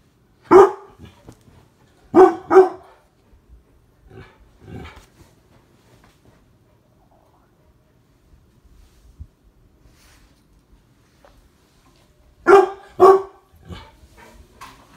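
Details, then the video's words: Mastiffs barking while playfully attacking spirit fingers: deep, loud single barks in pairs near the start, a softer bark around five seconds, then another quick double bark burst near the end, quiet gaps between. "Mastiffs attack SPIRIT FINGERS!"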